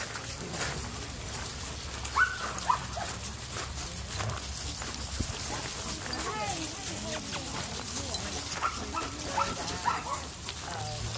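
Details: German Shepherds playing together at a monthly play group of 112 dogs, mostly German Shepherds and one black Labrador; scattered barks and whining yelps rise over a steady low rumble, with voices of people among the pack.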